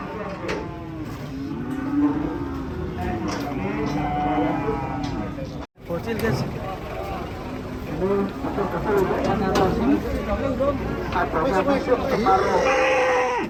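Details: A cow moos in several low, wavering bellows that overlap with people talking, an engine or vehicle rumble, and general background bustle.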